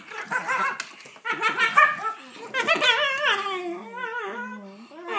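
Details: Shiba Inu puppies (Canis lupus familiaris) trade high, wavering whines and yips as they squabble playfully over a toy they can't share.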